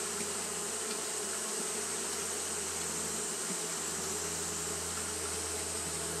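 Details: Japanese honey bees keep up their fanning in the heat of a hot day, an unbroken, even wing-buzz drone with a low steady hum beneath and a high hissing band.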